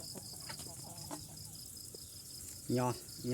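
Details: Farmed crickets kept in pens, raised for close to a year and soon to be harvested, during a hot month; a steady high, pulsed chirping chorus repeats rapidly throughout, with a man's voice breaking in briefly at the end.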